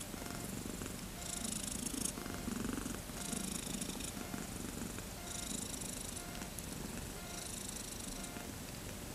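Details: Low rhythmic purring from kittens aged thirteen days, born 31 August 2014 and wanting to play, steady throughout, interrupted by recurring short bursts of hissy rustling.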